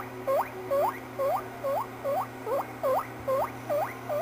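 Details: Pet guinea pig making funny squeaky sounds: a steady series of ten short, high squeaks, each sweeping sharply upward then dropping, repeated about twice a second, over a low electrical hum.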